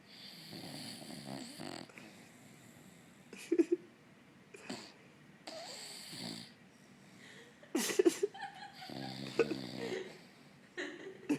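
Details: Sleeping on the couch, the dog Elway, also known as Dolce, gives wheezy, rattling snores in irregular bursts separated by short pauses, with a few sharper snorts toward the end.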